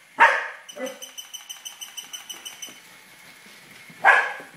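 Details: Tibetan Terrier chasing a toy rat, giving two sharp barks about four seconds apart, with a run of rapid light ticking and rattling between them, like the toy moving across the floor.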